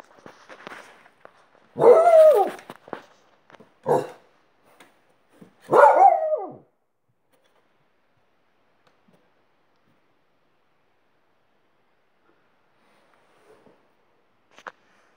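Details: Alaskan Malamute teaching a second dog to howl; three short tonal howls with falling harmonics, each under a second long, with quiet gaps between them and a few faint clicks later.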